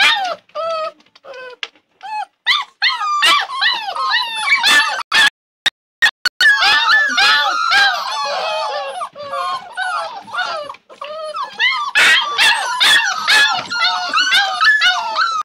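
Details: Labrador puppies start with isolated short squeaks, then sharp bangs interrupt. After that comes a long, continuous chorus of overlapping high whines and yelps from several pups, arching up and down in pitch.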